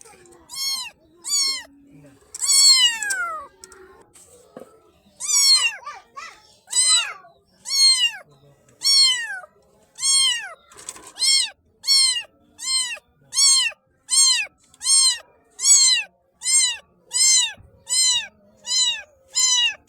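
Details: Black baby kitten calling in a long series of mews, a few drawn-out cries early, then quicker, short, evenly spaced high mews near the end.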